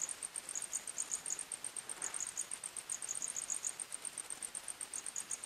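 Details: Crickets chirping at night in a forest, a dense high-pitched trilling of short pulses repeated rapidly and steadily, several insects overlapping, with a faint soft rustle partway through.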